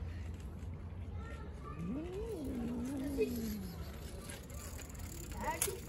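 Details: Stray street cat giving one wavering meow that rises, then slides downward over nearly two seconds, set against low urban rumble and faint distant voices.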